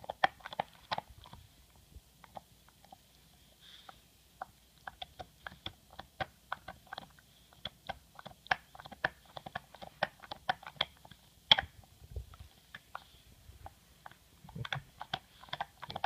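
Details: Pet English Bulldog MOTO chews a bone, giving rapid thin clicks and crackling bites in steady bursts, one louder crack partway through, then brief pauses before the crunching resumes indoors.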